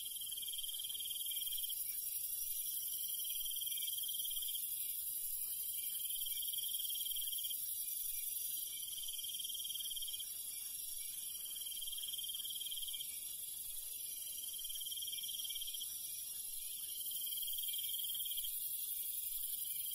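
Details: Crickets and other night insects in the countryside after dark form a dense, shrill, unbroken chorus, with a brighter pulsing trill swelling and fading roughly every two to three seconds above the steady hiss.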